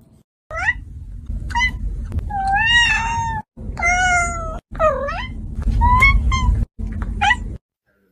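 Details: Cat meowing insistently in a quiet room: about seven loud meows in a row, some short and rising, others long and wavering, with brief silent gaps between them.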